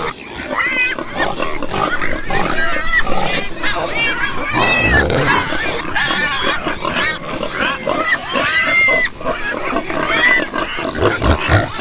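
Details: Pigs and piglets grunting and squeaking continuously, short arched squeals repeated every second or so over low snuffling grunts.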